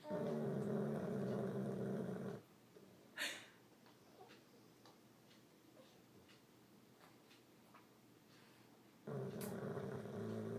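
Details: Old English Bulldog named Kelly snores loudly at home, a harsh, low buzzing drone for about two seconds, then a long quiet gap with faint clicks and a short breathy sound, before the rasping snore returns.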